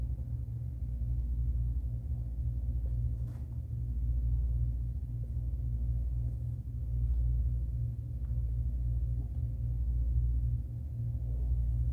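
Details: Only a deep, slowly swelling rumble and hum fills the room, with no animal calls.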